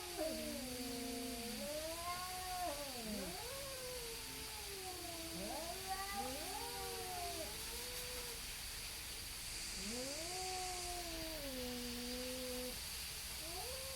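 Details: Pair of neighbourhood cats, possibly tabbies, yowling at each other before a fight; low drawn-out moaning wails that dip and swoop, overlapping voices, with a pause before another long howl near the end.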